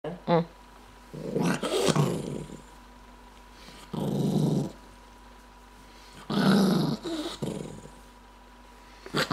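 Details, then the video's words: Angry Maltese dog indoors, growling in three rough low bursts of a second or so each, separated by quiet pauses, with brief sharp snapping noises between them. "Maltese dog getting angry and snips fast"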